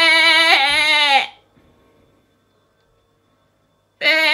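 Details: Domestic sheep bleating the 'bah, beh' sound it makes when hungry, seeking its lamb or showing off: a loud, wavering nasal bleat of about a second, then silence, then another bleat starting near the end.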